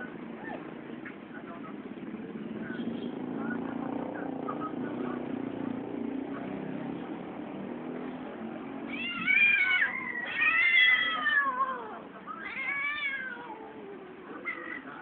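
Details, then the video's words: Cat during mating season: after a long stretch of low murmuring background, several wavering, rising-and-falling yowls with rich harmonics arrive from about 9 to 13 seconds, then a shorter cry near the end. "Cat Mating"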